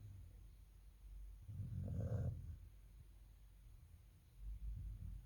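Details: Rottweiler. Low, throaty snoring from a sleeping Rottweiler, a rough rumble that rises and fades over about a second. A softer snuffling breath follows near the end, with a faint hum in the background.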